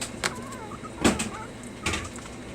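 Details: Puppies whimpering during stay training: wavering, high, tonal whines that rise and fall in short bursts, broken by loud thumps and clicks.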